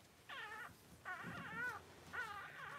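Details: Cavalier King Charles Spaniel during the birth of six puppies in two hours; three drawn-out, wavering whimpers, each under a second, with a rich harmonic whine that bends up and down, faint low rustling beneath.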